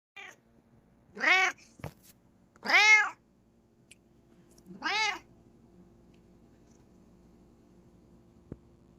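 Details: Coco, a Bengal cat, meows indoors after her owner sneezes: three clear, tonal, arching meows a second or two apart, then quiet room hum and a faint click.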